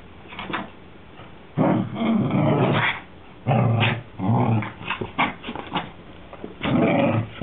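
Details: Whippet growling in play, trying to get her sister, another whippet, to play with her indoors; low rumbling growls in bursts of about a second, separated by short pauses.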